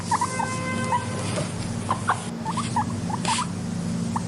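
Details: A pet guinea pig makes a brief flat whistled tone near the start, then scattered short rising chirps in twos and threes, over a continuous low rumbling hum.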